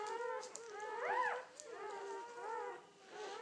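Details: Belgian Malinois puppies one day old, from a litter of seven (five males, two females) born in the night of 29 October 2014 to Fidji and Hot Dog, giving arched, rising-and-falling whines and squeaks indoors, several overlapping.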